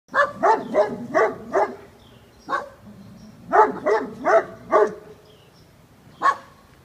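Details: A Great Pyrenees dog barking after spotting a very large raccoon climbing a six-foot wooden fence in early morning daylight; deep barks in rapid bursts of four to five, with pauses and a final single bark.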